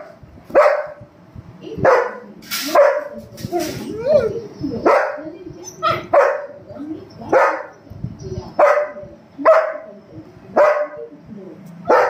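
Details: German Shepherd male attacking his older sister, giving a series of loud, clipped barks about once every second, each sharp and mid-pitched, with brief softer whines and a person's voice between them.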